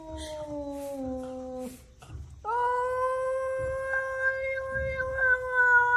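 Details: Pet cat in a home compilation of funny cats, giving a long, steady, drawn-out yowl that holds a level tone for several seconds after a shorter falling cry, with a faint low hum underneath.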